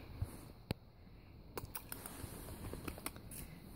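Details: Quiet indoor room sounds with scattered sharp clicks, taps and light rustling, and no animal voice.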